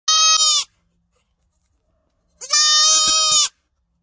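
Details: Small goat giving two loud, nasal, strongly tonal bleats: a short one of about half a second, then after a pause a longer, wavering bleat of about one second, with little else audible.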